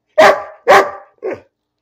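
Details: A pet dog barking for no apparent reason indoors: two loud, sharp barks about half a second apart, then a shorter, softer third bark, with no other sounds.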